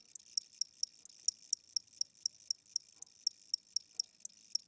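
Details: A weak old cricket indoors at night gives thin, sharp high chirps, roughly four per second, evenly spaced but quiet, over faint low household background noise.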